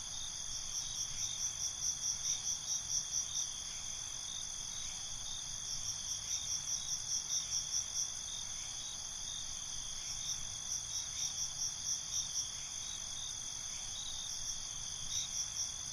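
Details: Crickets at night: a steady high shimmering drone under bursts of rapid, pulsed chirps lasting two to three seconds, returning about every four to five seconds, with soft background hiss.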